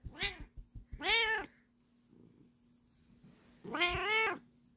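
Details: A Bengal cat gives three short, bright rising-and-falling meows with a pause before the last, during its bedtime routine while kneading and slow-blinking.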